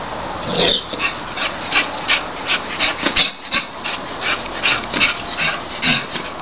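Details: English Bull Terrier Ruby, a pet, goes crazy after hearing a Labrador next door: high-pitched whining yips in quick uneven bursts, roughly three a second, rising and falling throughout.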